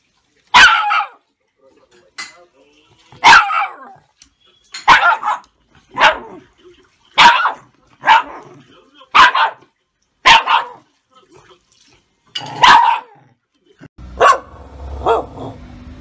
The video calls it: 柴犬の鳴き声 激しく反応する理由は何 - 面白いペット動画 Funny Dog Shiba Inu Bark